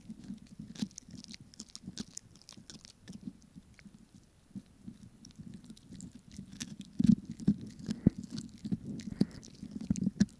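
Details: Snack time for a Pomeranian, captured for ASMR: quiet, even munching that grows louder and more forceful in the second half, with crisp clicks and wet smacks between chews.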